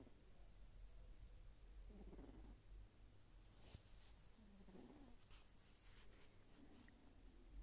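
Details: Sleeping Sphynx kitten snoring: soft, breathy low rumbles come in short swells a couple of seconds apart over a steady low hum, with a few faint clicks and rustles.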